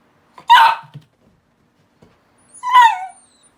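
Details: Miniature Dachshund at home, one of a pair (black-and-tan male born 2017, blue-and-tan female born 2019) that bark when hearing dogs on TV or outside. Two loud, harsh yelping barks about two seconds apart, with silence between.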